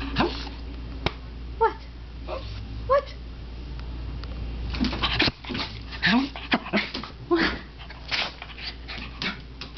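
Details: Pet Patterdale Terrier puppy vocalising for something his owner cannot work out: scattered short whimpers and squeaky whines, some rising and some falling, mixed with sniffs and rustling, plus occasional human speech.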